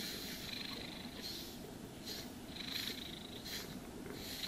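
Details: A pet cat's contented purr during brushing: a steady soft rumble under three or four hissing brush strokes spaced about a second apart, no voices.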